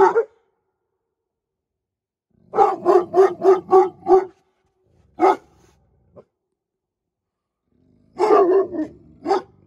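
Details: Deep, heavy barks from Presa Canario guard dogs. A fast volley of six comes first, then a lone bark, and then a closing cluster of rough barks.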